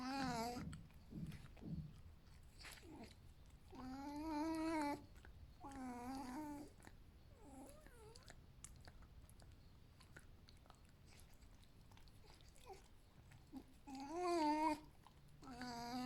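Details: Pet male fox Alf at breakfast indoors, well rested before a walk, lets out bouts of wavering, nasal whines, one after another and then again after a long pause, between quieter rustling and eating noises.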